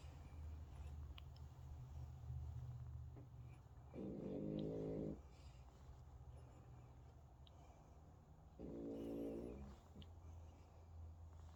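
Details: Sleeping French Bulldog named Hunter snores in a quiet room: two rasping, fluttering snores on the in-breath, roughly four to five seconds apart, over a low steady background hum.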